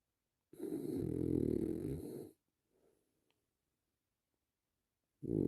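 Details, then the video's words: Relaxing French Bulldog snoring indoors: a long, rough, rumbling snore of almost two seconds, a soft breath after it, then silence until the next snore begins. "Just 3 minutes of a French Bulldog snoring."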